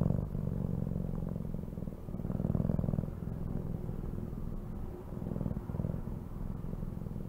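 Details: Domestic cat purring: a low, rumbling vibration that swells and fades with each breath, with a few soft clicks over the top.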